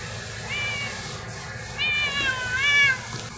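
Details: A kitten, malnourished and now three months into recovery, still not friendly, gives three high meows: a short one, then two longer wavering calls that rise and fall in pitch, over a steady low background hum.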